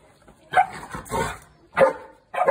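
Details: Two Boerboels, Bella and Jesse, playing together; short gruff barks and growling bursts come in quick clusters with brief pauses between.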